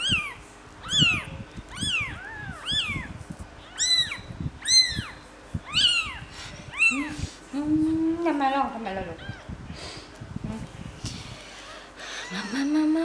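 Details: Three-day-old kittens cared for indoors give high, arching mews, about one a second for seven seconds, each sliding up then down; lower voices and soft handling noises follow.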